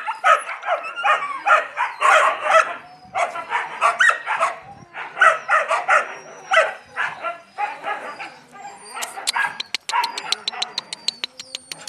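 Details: Playful Yakutian Laika puppies yipping in a steady, rapid stream of high barks, grouped in short runs. The calling fades toward the end, where dry tapping and clicking noises take over.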